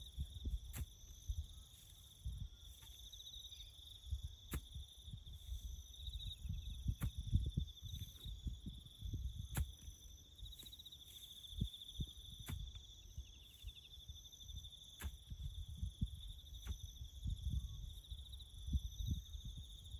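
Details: Crickets chirping in the bush during farm work building a road: a steady, unbroken high-pitched trilling chorus runs throughout, layered over low rumbling, thuds and occasional sharp clicks from nearby work.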